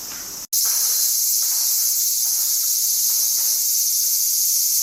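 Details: Cicadas singing on a summer day in suburban Tokyo, Japan, 5 August 2011: a dense, continuous high shrill buzz that fills the air, broken only by one brief cut near the start.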